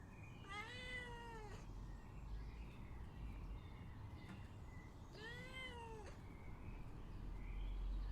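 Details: Cat begging with two long, whiny meows about four seconds apart, each swelling upward then sliding down, with a low rumbling background.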